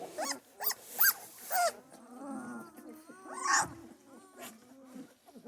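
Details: Central Asian Shepherd Dog puppies during their first feeding in a barn; three loud, quick arched squeals in a row, then softer wavering whines and a brief noisy burst among lower whimpers.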